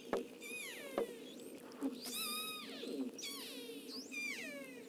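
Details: Killer whales of Avacha Gulf, Kamchatka, recorded by hydrophone give harmonic, sweeping squeals that rise and fall, with clicks and a steady engine hum; each pod has its own call dialect.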